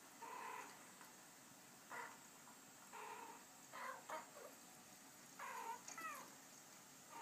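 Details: While two male Abyssinian cats watch footage of female cats conversing, a series of moderate meows sounds, some level and some bending upward, spaced roughly a second apart over faint background hiss.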